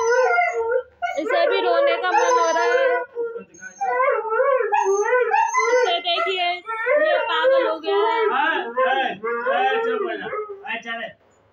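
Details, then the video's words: Siberian husky puppy calling its mother for food with an almost continuous run of wavering, talking-style howls and whines, pitch bending up and down, broken by brief pauses, loud throughout. "Husky call mom for foods"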